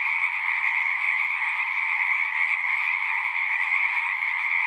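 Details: Dense chorus of singing frogs, an unbroken high-pitched trilling sheet of sound with a second lower band beneath, uniform in volume, the calls blending so no individual voice can be picked out.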